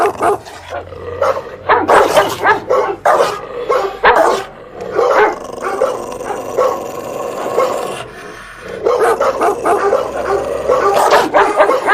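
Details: A dog barks loudly and angrily in a long run of sharp, rough barks, with a quieter stretch about two-thirds through before the barking picks up again.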